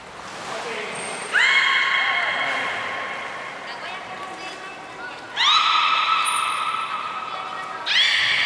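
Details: Belugas Nana and Niko in training at Port of Nagoya Public Aquarium, 7 October 2018, give long steady harmonic tones. One lasts about four seconds and a second about two, both with abrupt starts, then a third begins. A shrill high whistle sounds between them.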